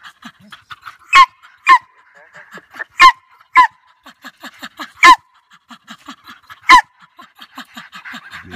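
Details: Jagd Terriers, or German Hunting Terriers, named Scruffy and Ranger, on a sambar deer hunt in Victoria, Australia, give six loud, harsh barks at uneven intervals over quick soft yelps and panting, while a man praises the good dogs.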